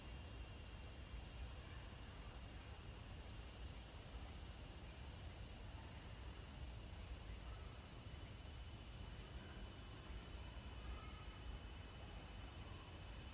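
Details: Cicada chorus recorded at Meiji Jingu, 17 September 2018, a steady high shrilling hiss that never pauses, layered in bands, with faint distant sounds and low background rumble.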